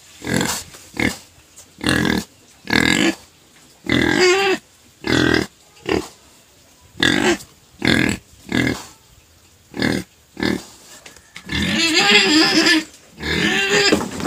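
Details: Pet pig crying, quieted later by sugar cane: short, harsh grunting bursts repeated roughly every three quarters of a second, ending in a longer, rougher squealing stretch.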